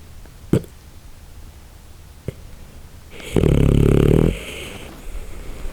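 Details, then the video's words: Shiba Inu named Koharu snoring while falling asleep on an arm used as a pillow, sleeping much like a person. A single rough, gravelly snore lasting about a second, low and buzzing, follows a few faint soft clicks in a quiet room. "柴犬小春 【いびきASMR】腕枕でまるで人のように寝付く"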